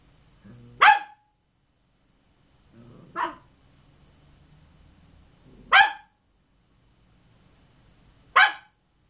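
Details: Cavalier King Charles Spaniel barking: four sharp, loud single barks spaced about two to three seconds apart, each a brief broadband burst, with quiet room background between them.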